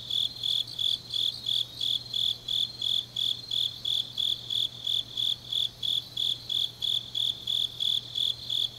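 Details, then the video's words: Grass insects of a late autumn night in Changnyeong, South Gyeongsang Province, producing an unbroken series of sharp, even chirps around three per second, with a faint low hum beneath. "깊은밤 가을 풀벌레 소리"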